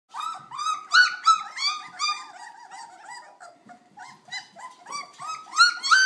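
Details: Puppies not even three weeks old making a lot of noise: overlapping high, squealing whines with bright harmonics, many short rising-and-falling cries tumbling over one another, loudest bursts near the start and end.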